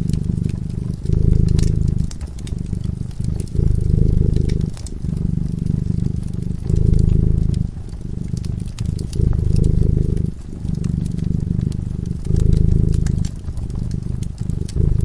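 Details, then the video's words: Cat sleeping by the hearth purrs with a continuous low vibrating rumble, loud on one breath phase and softer on the other, about every two seconds, over crackling firewood. "Purring cat"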